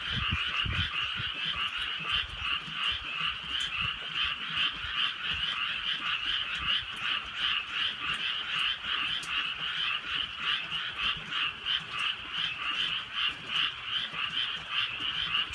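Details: Rural night chorus of frogs during gentle rainfall: continuous grating croaks from many animals, pulsing roughly three times per second without pause, with scattered sharp raindrop ticks and low rain rumble.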